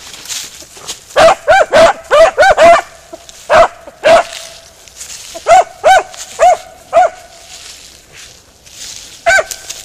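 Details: Beagle Harrier in a ploughed field giving loud, yelping barks with a ringing, tonal quality. They come in quick bursts of two to four, with pauses between groups, and the last one sounds after a longer gap.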